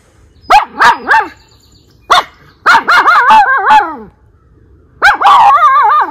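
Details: Aroostook County, Maine, July 2022: Miniature Schnauzer Lucky hears someone close and warns his brother Levi with sharp clipped barks, some trailing into warbling, wavering howls, in three bursts roughly two seconds apart.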